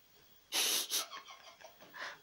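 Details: Domestic cat gives a voiceless meow, a short breathy rush of air then a softer puff with no tone, in a quiet room; she sometimes meows without voice, and the owner suspects she gets tired.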